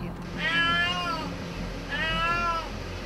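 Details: Adult mother cat pacing a rooftop, crying sadly for her kitten trapped inside a pillar, as she did the day before: two long, drawn-out wailing meows, each rising then falling, about a second and a half apart, over a low steady hum.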